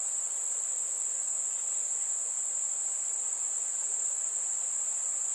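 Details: Crickets chirping on a warm summer evening among fireflies: a steady, unbroken, very high-pitched trill that holds one even tone throughout, with no pauses and no other animals or voices.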